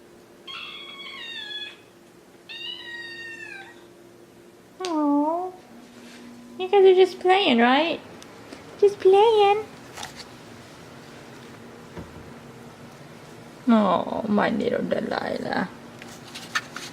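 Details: Two Maine Coon kittens, Delilah and Daisy, playing indoors: two high, thin meows with rising-then-falling harmonics, then a downward-sliding meow, a run of short bright mews, and finally a longer, harsher drawn-out cry, over a steady room hum and some human voice.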